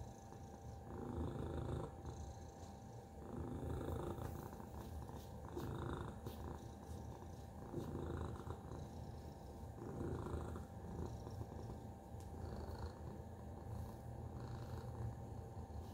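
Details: Long stretch of purring from the house cat Tacy: a deep, rattling drone pulsing in slow surges every couple of seconds, with occasional soft clicks and a faint constant hum.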